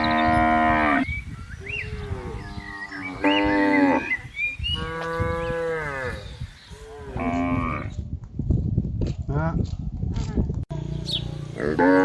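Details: Cattle being herded across a green field, lowing repeatedly: several drawn-out, harmonic moos of about a second each, some rising and falling, with short gaps, then softer rustling and a final low moo.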